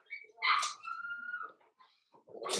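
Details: Four-week-old Cavalier King Charles Spaniel puppies from Daisy's litter in their indoor pen: a drawn-out, tonal whine holds steady and then slides slightly downward over about a second, followed by softer scuffling and a burst of rustling.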